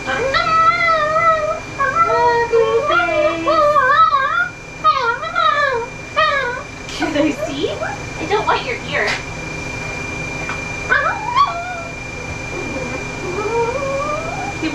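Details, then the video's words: A vocal dog named Ollie complains while groomed in Oklahoma, USA, first with bending, sing-song whines, then sparser yips and human talk in the later half. "Grooming a VERY VOCAL dog"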